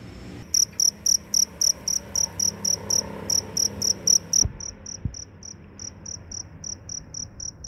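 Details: ['Cricket calling after rain while wandering to find a mate: a run of strong, sharp, high chirps about four per second, then softer, more widely spaced chirps after a couple of clicks.']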